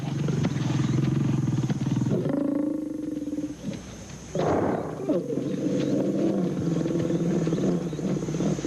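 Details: Young, very hungry and bold male lions confront an adult hippo; deep, rumbling harmonic growls run steadily for about two seconds, give way to a brief higher snarl, pause near four seconds, then resume as sustained low growling.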